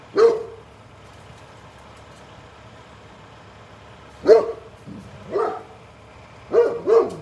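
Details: Great Pyrenees barking at the mail truck, single loud barks spaced several seconds apart, then two close barks at the end, with a faint engine drone throughout.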